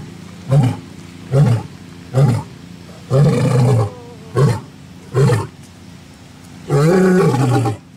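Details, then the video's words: Lion roaring, a call used to mark territory and communicate with its pride: a series of seven deep, throaty grunting bursts about a second apart, two of them longer and more drawn out, with the final roar the longest. "Les secrets du rugissement du lion 🦁: libérer la puissance (cri du lion) | Lions Roaring Compilation"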